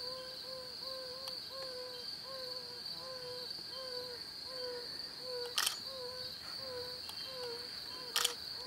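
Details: Male yellow-bellied toads calling from breeding ponds or ruts in the breeding season to attract females. Soft, short, mellow "ouh" notes repeat steadily about every 0.6 seconds, around fourteen in all. A continuous high insect-like whine runs throughout, with two brief clicks.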